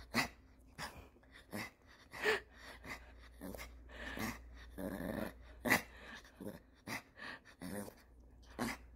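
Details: Maltese dog named Dubu from Daechi-dong, indoors beside laundry being folded, 'talking' because it is hungry: a run of short throaty grumbles and growl-like yowls, uneven bursts every second or so, with a person's voice now and then.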